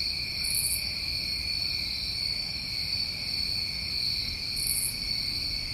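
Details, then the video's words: Crickets recorded in summertime New England produce a seamless high, ringing chorus of parallel tones, broken only by two short raspy bursts at the top of the range. "Over 1 Hour Of Tinnitus Masking With Crickets"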